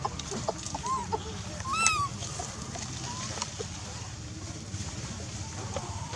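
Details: Wild baby monkey named Lizza in the forest of the Angkor Park area, hungry and crying to call its mother: brief arched, tonal cries, one loud harmonic-rich wail in the middle, softer short whimpers around it, over a busy ticking forest background.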